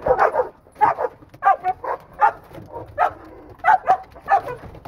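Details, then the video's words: Pinscher barking inside a crate during protection agitation training: a rapid series of sharp, harsh barks, roughly one or two each second, with a man's encouraging voice nearby. "Donovan Pinscher Tiger 2- agitation in the crate"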